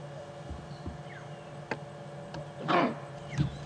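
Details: A kudu gives a single gruff, dog-like 'oof' bark in the distance at sunset while a lioness with two cubs about 2 months old is nearby.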